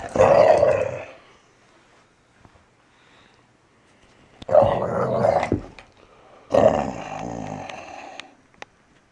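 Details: Valley Bulldog Archie, a little over three years old, growls while playing, gentle despite the snarling and grabbing; three rumbling growl bursts, each about a second or two long, separated by quiet pauses.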